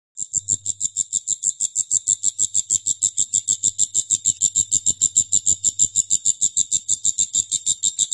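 A grasshopper stridulates in a steady series of high, dry chirps, about three every second.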